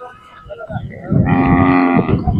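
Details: Khillar cattle at the Kole jatra fair in Sangola taluka, Solapur district, held 10–12 May 2025, where cows, young bulls and bulls are offered for sale. After a soft murmur, one steady, low, harmonic moo lasts about a second.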